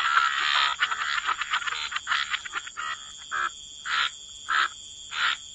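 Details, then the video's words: Frogs croaking in a wetland: a quick tangle of rasping croaks first, then single harsh croaks spaced about every half second to second, accompanied by steady high-pitched tones. "Frog Lullaby: Relax to the Sound of Croaking Frogs"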